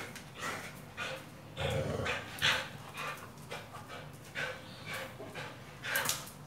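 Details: Pit Bull being trained with a tyre, giving irregular bursts of huffing, snorting breaths and pants, with a few sharper high clicks between the puffs.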